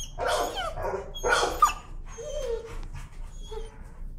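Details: Timid dog that fears the leash gives two loud, rough screaming yelps in protest, then a low, drawn-out whine as the noise fades.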